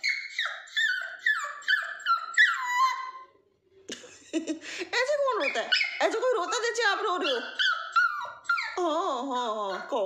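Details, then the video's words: Naughty toy Pomeranian crying for its owner indoors: a run of high, sliding whines that fall in pitch, repeated rapidly, then wavering, warbling cries with short breaks, in a small room. "naughty toy pom 😍 is crying for mom"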